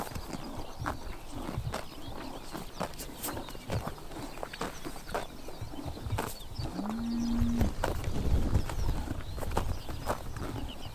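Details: Horses grazing on a summer morning in Tuv province, Mongolia, crunching and tearing grass in quick irregular chomps, roughly three or four per second; a short low steady hum-like call rises midway through.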